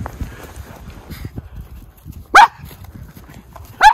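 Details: Miniature Schnauzer brothers romping off-leash in deep snowpack in their yard, Aroostook County, Maine, February; two sharp, loud barks about one and a half seconds apart over soft crunching and rustling in snow.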